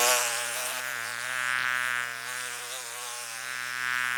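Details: Whining mosquito flight tone, a continuous high buzz with a slight wobble in pitch, loudness rising and dipping gently over four seconds as the insect hovers nearby.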